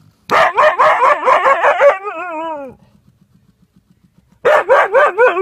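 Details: A Siberian Husky near a hedgehog that refuses to leave pours out a fast run of harsh yaps. These slide into a long, wavering, falling whine, and after a pause a fresh burst of yaps follows.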